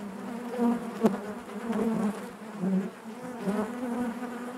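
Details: Honey bees buzzing inside their hive, a dense continuous hum with a steady low drone and stacked overtones, swelling and fading in soft waves as individual bees pass close.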